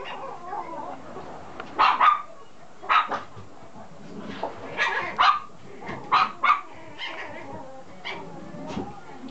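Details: Red Toy Poodle puppy, a male 50 days old, filmed 7 October in Chiba, Japan, gives short sharp yapping barks, several bursts, some in quick pairs, over about nine seconds, with people speaking softly in the background.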